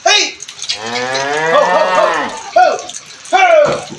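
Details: One of two Brahman cattle lowing in a long, rich moo that swells and then fades, followed by short voiced calls from people nearby.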